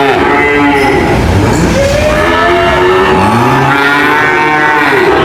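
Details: Loud bellowing moos from cows, a low swelling call rising in pitch followed by a higher one, with steady lowing of other cattle underneath.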